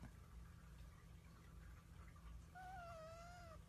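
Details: House cat letting out a drawn-out level meow lasting about a second, steady and slightly wavering, answering as a woman asks whether it is hard to be a cat; low room hum underneath.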